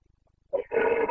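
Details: Carpathian red deer stag in the Bucovina mountains of Romania during the September 2022 breeding season: after a short silence, one brief hoarse bellow, then a longer rough, harmonic-rich roar, with a faint rhythmic low thumping underneath.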